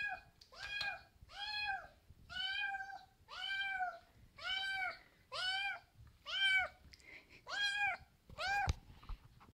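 A Maine Coon kitten meows repeatedly, each call a clear, arched, nasal mew about a second long.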